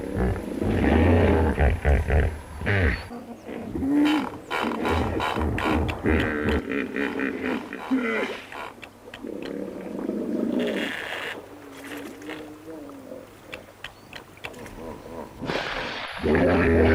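Deep, rumbling honks from a hippopotamus come in rough, pulsing bursts with gravelly, wheezing edges. Several loud phrases rise and fade over the span, with faint background noise between them.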